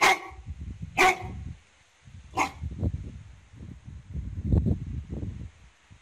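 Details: Newfoundland dog barking while fighting off a wild animal at home: three sharp, harsh barks roughly a second apart, followed by a steady low rumbling noise through the rest of the recording.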